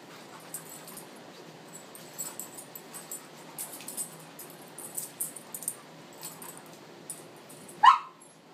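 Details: Tamaskan Dog during play: quiet scuffles and faint whimpering noises build up, then one sharp, loud, slightly rising bark near the end, followed by quiet.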